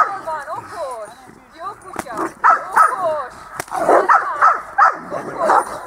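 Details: Itus, a dog at dog school, on 8 December 2013, gives short sharp barks in a loose run of about five between lively Hungarian speech praising and calling, with a muffled, narrow-band sound.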